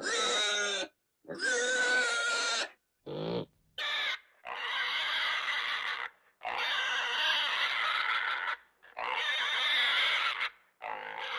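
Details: Domestic pig letting out long, shrill squeals of one to two seconds each with brief gaps between them, and one short lower call near the start.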